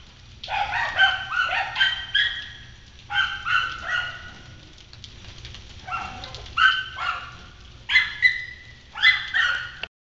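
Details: A pack of kennel dogs on Galla Creek barking at a yard intruder, high-pitched and deeper voices mixed; dense volleys of overlapping harmonic barks and yips in repeated bursts separated by brief lulls, faint low hum beneath.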